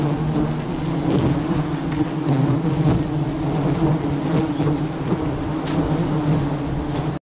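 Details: Bees swarm around a hive being harvested for honey at the start of the rainy season, making a dense, continuous low droning buzz that holds steady throughout, with scattered faint clicks and rustles.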